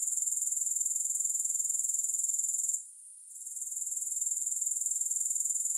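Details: High, thin grasshopper trilling without music, a continuous rapid pulsing buzz that cuts out for a moment in the middle of the clip and then swells back up.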